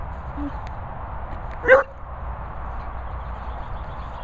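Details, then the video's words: Beagles kept with a Bichon Frise at dog training and boarding kennels in the Worcestershire countryside. One short, sharp bark stands out over a steady low background hum, with quiet room noise around it. "Henry & Monty Beagles with Peppa Bichon Frise"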